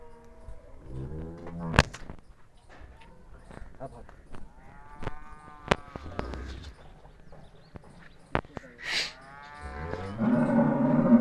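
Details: Cholistani Jersey cross cow offered for sale, lowing in long harmonic moos that rise and fall, several calls spread through the recording, with clicks, thumps and a louder bleating sound at the end.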